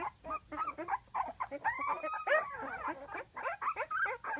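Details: Flute's pups at 12 days old fuss for their mother outside the whelping box, a quick stream of soft whimpers and squeaks with one longer rising whine midway, heard over steady hiss.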